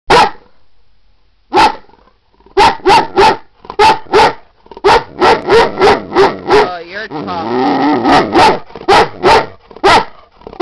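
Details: Beauty, a female Great Dane, tells her owner she has to go out: a long run of loud, sharp barks about three per second, broken by a warbling, wavering moan in the middle, with a person's voice faintly present.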